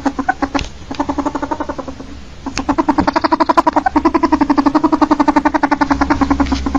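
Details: Ferret, the domesticated form of the polecat, calling in rapid chuckling bursts: low, rhythmic clucks pour out about four per second, pause briefly, then resume in a longer, even stream.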